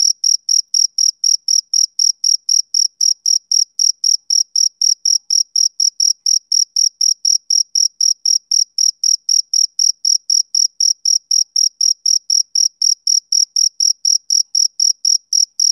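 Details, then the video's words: A summer-evening male cricket calls continuously with sharp, high-pitched chirps. The chirps keep a steady pace of around four per second for the whole stretch, with no other sounds present. "Cricket Chirping Sound Effect"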